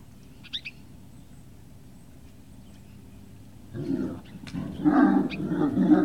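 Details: Several seconds of near quiet at Puppy Hill, 18 November 2018, broken by Great Dane puppies breaking into rough growling and whining that builds louder and more continuous toward the end.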